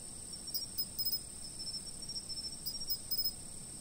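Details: A fixed camera records insect chirping: a constant piercing high tone, with rapid clusters of short pulsed chirps near the start and end and quieter scattered notes between, over a gentle low hum.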